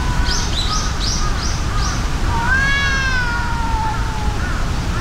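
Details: Two tabby cats fighting, one brown-and-white tabby enraged: a series of short rising yowls, then a long wavering drawn-out howl that falls slowly, over steady low rumbling background noise.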